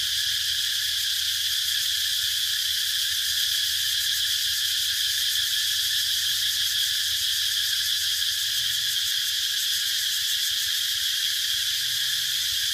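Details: Cicada chorus as a constant metallic hiss-like drone, finely pulsing and unchanging in volume, with soft low rumbling beneath.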